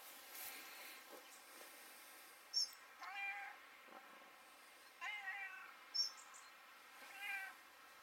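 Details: Polly, a local stray cat visiting a home near Saint-Nicodème, Côtes-d'Armor, Brittany, France, on 4 November 2018, gives three short rising-falling meows about two seconds apart, with faint clicks and quiet background hiss.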